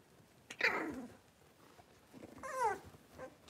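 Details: Blenheim Cavalier King Charles Spaniel puppies, one of a litter of five born at New Year, playing in an indoor puppy pen; two short high yelps, the second a bending whine, with quiet room noise between.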